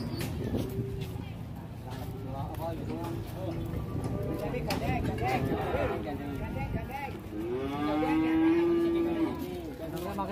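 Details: Loose cow on the rampage, causing an uproar by entering a roadside shop in Indonesia; repeated lowing calls build to one long, steady, loud moo near the end, over people talking and background commotion.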